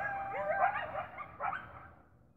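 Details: A domestic dog howls along with a pack of coyotes very close by outside, giving a wavering, yipping howl in two short bursts that fade away. The coyotes stopped when the dog chimed in.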